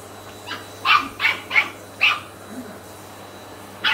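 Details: Ten-week-old Shetland Sheepdog puppy Sian objecting to a Hoover: four sharp, high-pitched yaps in quick succession, each roughly a third of a second apart, then a pause and the start of another bark, with a faint constant hum behind.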